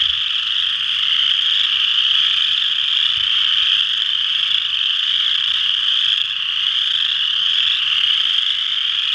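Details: Western chorus frogs in full chorus at Ojibway Park, Windsor, Ontario, their crowded high trills fusing into a continuous rasping hum that swells slightly and dips briefly near the end.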